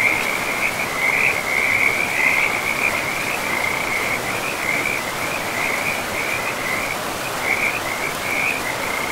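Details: Frogs calling by a river in a pristine forest with moss-covered land; a dense, steady chorus of high, trilling croaks runs without pause over the constant rushing of river water.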